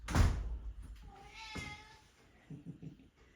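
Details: A pet Maine Coon cat greets a man arriving at the door with a meow one morning while four house cats gather for treats; a loud door thump comes first, then a drawn-out tonal meow, then soft low sounds.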